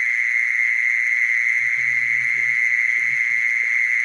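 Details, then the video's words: Mole cricket trilling in one even, ringing buzz without breaks; a brief patch of faint low sounds enters during the second half. "Mole cricket sound, Original sound"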